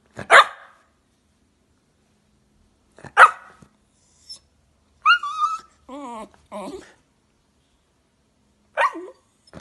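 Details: Jack Russell Terrier giving sharp, isolated barks every few seconds, broken midway by wavering, high whining yelps and warbling whimpers before a final bark, in a quiet setting.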